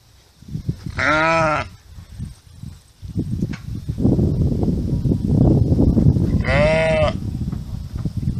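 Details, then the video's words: Farm sheep bleating twice, each a wavering harmonic baa under a second long, about five seconds apart, with rustling, shuffling and low handling noise filling the gap between them. "Sheep Sound, Baa, Farm Animals Noises - Sonido de la Oveja, Bee, Balido"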